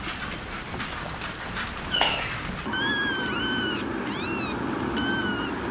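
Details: Kitten mews, several short high arched cries clustered in the second half, following a brief faint squeak, over a constant broadband background noise.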